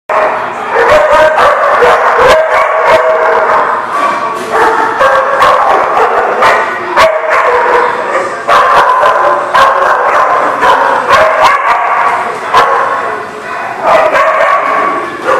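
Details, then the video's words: Dogs barking in a dense, continuous chorus recorded on 17 September 2018: overlapping sharp barks and yips, nearly without pause, over a steady tonal background hum. "The Barking Lot"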